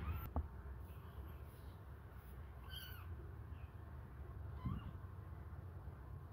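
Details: Hungry kittens suckle on a finger, giving a single brief high meow with a falling end midway, a fainter rising squeak later, and a sharp knock at the start over constant low background rumble.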